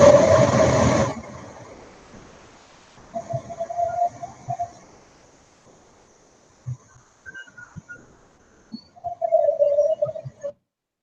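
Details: Humpback whale song of long, wavering moans that start higher and slide lower, broken by short low grunts and pauses. A burst of broad noise opens it, and the phrases sound slightly hollow and distant.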